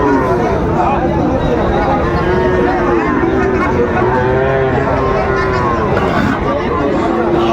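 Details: Bull calves of Friesian and cross breeds at Raniganj market in Dinajpur, Bangladesh, on a July 2024 Thursday; long sustained lowing that bends up and down, with traders haggling over prices nearby.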